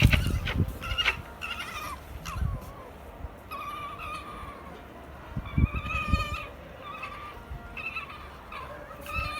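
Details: Japanese red fox in Tobu Zoo during night opening hours on 5 January 2020, a rarely vocal animal, giving a run of short, high, whining yelps with bright harmonics, some rising then falling, several in quick succession, over low thumping background noise.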